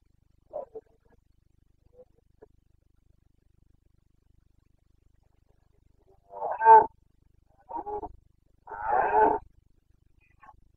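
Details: Carpathian red deer stag in Bucovina, Romania, roaring during the breeding season, 29 September 2022; faint grunts, then three loud, rough bellowing roars about a second apart, the last one longest.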